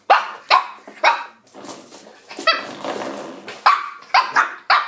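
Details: Shih Tzu puppy attacking a door stop, with bright yipping barks in quick pairs, a short scuffle and whine in the middle, then a closing run of three rapid yaps.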